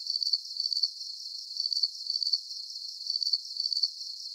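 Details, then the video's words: Calming cricket sounds: sharp, very high pulsed chirps arriving in short bunches about every half second, an even, unbroken rhythm over a thin hissing background, free of other noises. "Calming Cricket Sounds"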